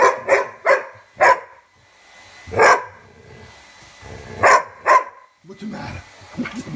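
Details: A dog named Rubble barking at his bone, giving a series of sharp, broadband barks in quick pairs and singles, with gaps between bursts and a person talking softly near the end.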